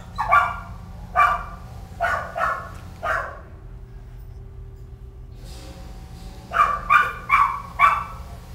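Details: Several Kelpie pups yapping in short high barks, four spaced about a second apart, a pause with a faint low hum, then a quick cluster of four more barks.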